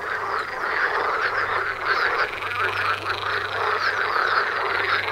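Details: Continuous frog chorus by a house doorstep, countless croaking voices blending into a constant pulsing chatter, a faint low electrical hum beneath.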